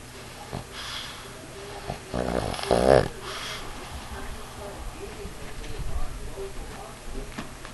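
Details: A pug named Ula, weighing 50 pounds, sleeps on a knee and snores: a loud, rattling, buzzy snort peaks near the third second, then softer rasping breaths follow, with faint talking in the room.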